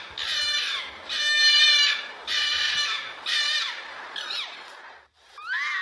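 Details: Fox in its natural habitat giving a string of four loud, rasping, high barks roughly one per second, then two thinner, falling cries after a brief gap.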